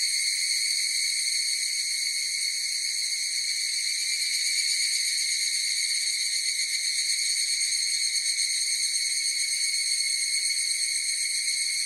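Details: A massed chorus of higurashi cicadas gives a constant shrill buzz of stacked high notes, flickering faintly, steady in volume, alone in an otherwise quiet setting.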